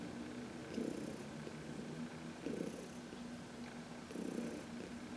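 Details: Contented purring from Heidi, a 14-year-old shelter-adopted cat, being massaged in the sun on March 19, 2021; deep rumble rising in three distinct breath-paced swells over a quiet indoor background.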